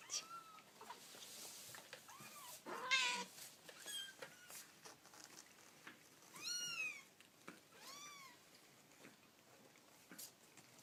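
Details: Baby kittens indoors giving a series of high, arched mewing cries rising and falling in pitch, about six distinct meows, with one louder harsh squeal near the start, amid soft clicks and rustling handling sounds.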